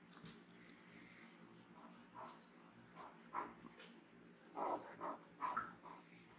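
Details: A male Great Dane puppy, indoors, begging non-stop to go outside once his collar goes on. Soft whimpering whines come in short mid-pitched bursts, loudest in the second half, with brief gaps of quiet between them.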